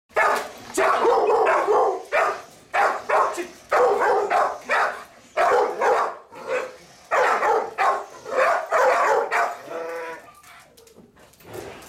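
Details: Guard dog for family protection barking in a rapid series of loud, harsh barks, about a dozen in ten seconds, then fading at the end.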